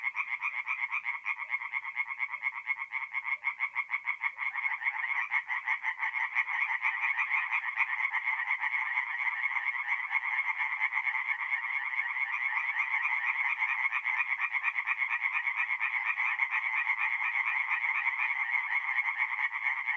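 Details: Dense night chorus of tree frogs at a forest pond in north-east Italy in mid-April, many overlapping rapid nasal croaks forming a continuous loud rattling wall of sound throughout.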